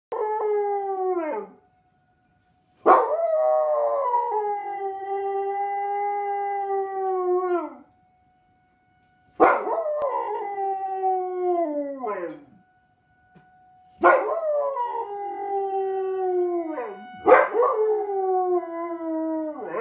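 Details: Dog named Inara howling along with sirens: three long drawn-out howls, each sliding down in pitch over about five seconds with rich harmonics and ending in a short upward flick, separated by brief silences; a steady faint tone runs beneath.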